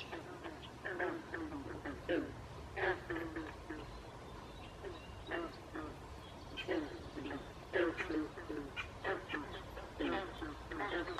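Frogs calling in overlapping bursts of short, nasal, croaking notes.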